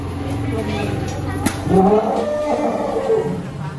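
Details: An elephant being hand-fed gives a low, droning call with a rising, moaning tone, while people talk nearby.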